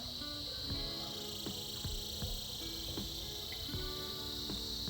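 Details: Cicadas in a winter-season chorus, a continuous high, even buzz holding steady throughout, with tonal music-like notes and soft knocks sounding underneath.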